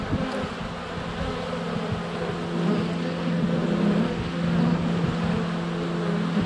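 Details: Dense swarm of honey bees flying around the hive entrance on a sunny February day, recorded with a GoPro under a foot away; continuous low droning buzz that swells midway, individual bees passing close to the camera.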